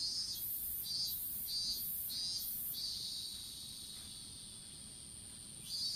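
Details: Insect calls in a strawberry field where seedlings were being set out, on a fallen smartphone: a run of four rhythmic sizzling pulses, then a long steady buzzing trill that slowly softens and rises again at the end.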